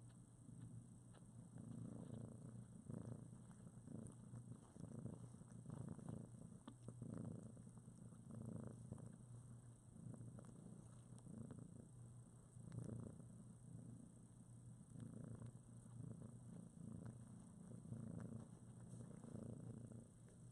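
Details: Mother cat Priscilla and her newborn kittens, roughly two weeks old and in foster care, cuddling as a writhing mass; deep rhythmic purring pulses in repeated waves every second or so for the whole stretch, with faint rustling.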